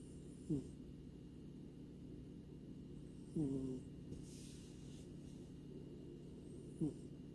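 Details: Luffy, a male grey American Shorthair cat living in Maui, Hawaii, snores while asleep: three short, soft snorts with a low bending tone, spaced about three seconds apart, over a steady quiet room hum.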